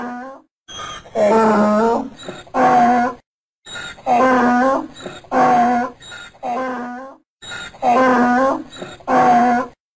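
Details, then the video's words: A donkey brays repeatedly, producing about eight strained, tonal bursts of varying length over ten seconds. The calls seesaw in a hee-haw pattern with brief breathy gaps and are heard alone. "Som do Burro - Som do Jumento - Som do jegue relinchando"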